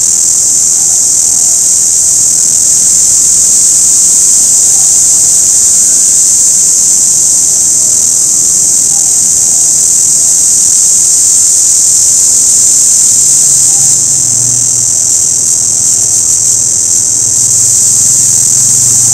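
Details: Long, even, piercing buzz from an orange cicada, steady throughout, with a faint low rumble entering in the second half.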